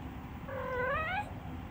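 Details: Male Minuet (Napoleon) cat, playful, giving a very soft meow: a single gentle, slightly rising-then-falling meow under a second long, over steady low background hum.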